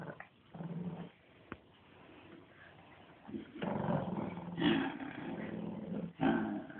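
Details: Playful growling from a Shih Tzu during playtime, low and rough, rising into louder bursts in the second half with brief sharp snaps.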